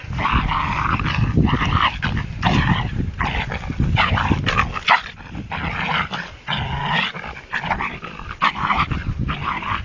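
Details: A dog barks at a cat as a child picks the cat up to save it. Harsh, rough barks come in rapid bursts about every half second to one second across the whole stretch, with a low rumbling undertone.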